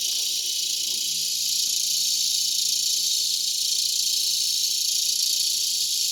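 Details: A dense, steady cicada chorus with a high, shimmering buzz, in a mulberry tree in Broken Arrow, Oklahoma, in August 2020 around sunset, about 8:06 pm Central Daylight Time.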